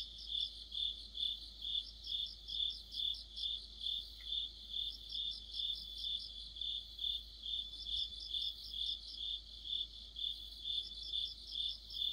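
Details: An autumn cricket orchestra under a streetlamp: shrill chirps beating steadily around twice per second, joined by bursts of quicker, higher trills from neighbouring insects.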